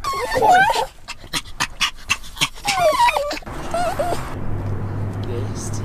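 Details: Upset pet dog whimpering, wavering high whines at the start and again midway, broken by sharp clicking taps, followed by a lower hum and a person speaking softly.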